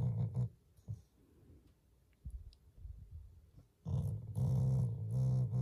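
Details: Shiba Inu, a loving family dog, growling as a show of affection toward its owners rather than anger: a short deep rumbling growl, a quiet gap with soft shuffling, then a longer loud, rough, throaty growl to the end.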